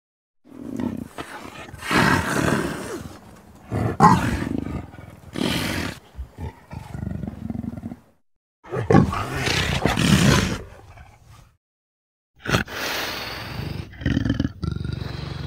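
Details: An Amur leopard (Panthera pardus orientalis) gives deep, rasping growls and roars in rough bursts separated by brief silences.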